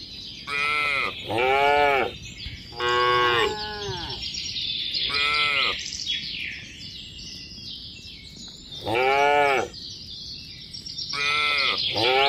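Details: Tame herd of cattle walking a mining road to a green village, farm animals on the move; short arched moos repeated in bursts, about six calls across the stretch, with constant high hiss behind.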